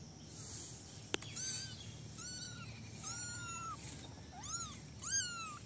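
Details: Basket of cute little kittens meowing while they play: a quick run of five or six high, arched mews, each under a second long, some rising sharply, over a soft low hum and one sharp tap.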